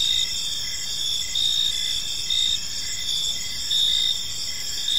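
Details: Park crickets at dusk: bright, high trills overlap in a steady chorus, punctuated by louder pulsed chirp bursts about once a second, with only faint low-pitched ambient noise.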